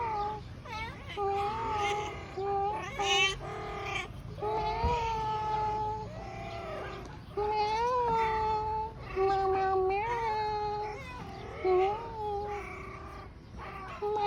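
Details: Siamese cat meowing almost without pause: long, drawn-out, wavering meows that rise and fall in pitch, one running into the next, over a steady low background hum.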